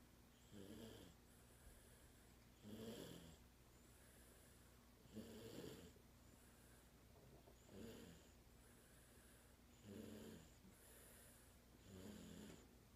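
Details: Toy Poodle named Rocky snoring while sleeping soundly at home; soft, low breathy snores recur roughly every two and a half seconds, each a short rasping swell, with quiet steady background between breaths.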